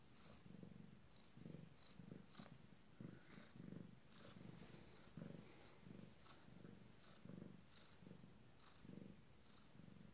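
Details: Shortly before giving birth to her first litter, a female Abyssinian cat purrs continuously: around thirteen rhythmic rumbling pulses over ten seconds, slightly uneven in spacing, with faint light ticking sounds in the background.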